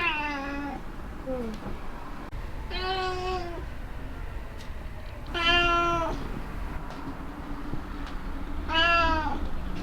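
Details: Black house cat meowing happily over cat grass while eating it: four short, bright meows spaced about three seconds apart, over low background hum and soft indoor noises.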